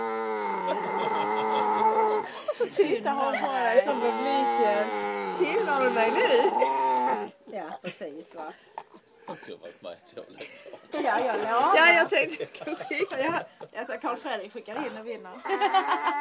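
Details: Maja the pet dog, wanting attention at dinner in July 2011, gives sustained yodel-like whining for about seven seconds, then quieter broken vocalising mixed with a person speaking Swedish, before a final burst of whining.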